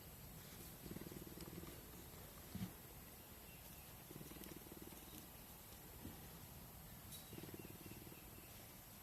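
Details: Aries, a male cougar at a rescue sanctuary, rescued as a cub in Idaho, purrs softly in low, rumbling bursts separated by brief pauses.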